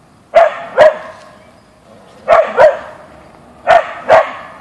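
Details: Boeing, a Siberian Husky (Ausky), barks at a deer in the backyard; three evenly spaced pairs of short, sharp barks, each pair a rapid double yap.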